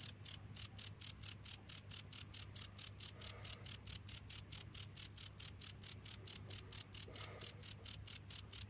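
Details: Steady cricket chirps, high-pitched and evenly spaced at roughly four per second, continuing without a break over a faint low background hum.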